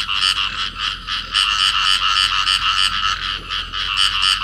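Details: Pair of field frogs calling while clasped together in amplexus; fast, buzzy pulsed croaks repeating roughly three to four times a second in an unbroken, even chorus.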